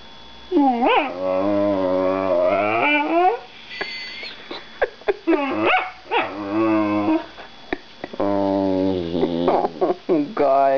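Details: Small female foster whippet with a deep voice and very high-pitched bark, 'talking' to a woman in drawn-out, wavering yowls rising and falling in pitch, three long bouts with short yips between, her soft speech in the gaps.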